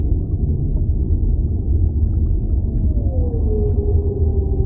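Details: Whale. Over a steady low underwater rumble, a whale's tonal moan appears, gliding down in pitch and then holding a steady note. No other voices or clear sounds break through the dense background roar.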